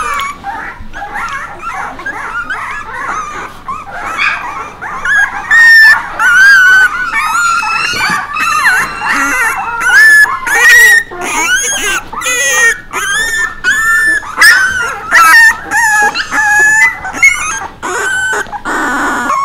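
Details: Puppies, in company of Bek, cry continuously: a chorus of shrill wavering whines and sharp yips, growing louder and more broken after the first few seconds, with short bursts and gaps, over a faint low hum.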